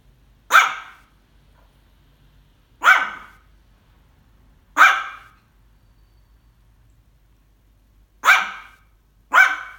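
A Maltese dog gives sharp, high, yappy barks, spaced one to three seconds apart, out of excitement.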